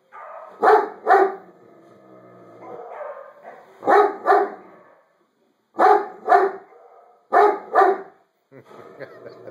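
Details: Great Dane barking back at recorded dogs on screen: deep paired barks repeated in four bursts roughly every two seconds, with softer whining and grumbling between them.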